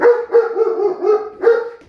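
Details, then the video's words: German Shepherd vocalizing at tornado sirens with a run of short, tonal yodelling howls. The notes pulse about three times per second, with a final louder note before it fades. "German Shepherd vs. Tornado Sirens"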